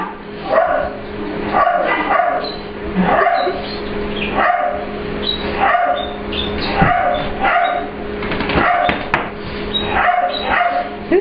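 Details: English Bulldog/Pit Bull puppy Ester meets Layla for playtime in her grooming room at work. Sharp, harmonic yipping barks repeat roughly once a second over a constant background hum.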